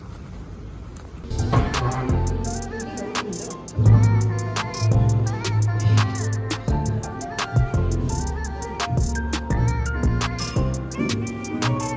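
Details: Rhythmic plucked-guitar music with light percussion and a faint hint of voices, with no animal sound.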